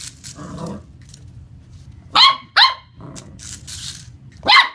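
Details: Corgi puppy playing with a remote-control car indoors, giving three short, sharp high-pitched yaps in about two and a half seconds, with light rustling and a soft whine between.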